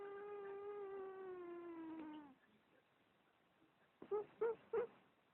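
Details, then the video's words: A house cat's strange mew on a muffled, poor-quality recording: a long, even tone that slides gradually downward for two seconds, then silence, then three short clipped yelps. "Funny cat. Weird Mew"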